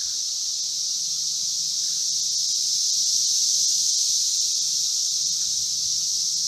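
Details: Periodical cicadas of Brood V, 17-year Magicicada, at the intersection of Vine and Walnut in Logan, Ohio: a dense, steady, high-pitched hissing drone, unbroken throughout, swelling slightly in the middle, with faint low hum beneath.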